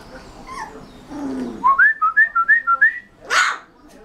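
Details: Rottweiler puppy giving a quick run of about seven short, high, whistle-like yelps that dip and rise in pitch, then one louder, rougher yelp, with quieter whining before the series.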